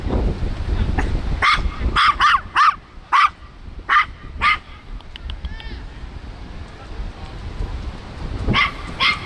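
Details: Miniature Pinscher puppy on its first outing meeting bigger dogs, giving a burst of sharp, high yapping barks in quick succession, then a pause and two more barks near the end over low rumbling background noise.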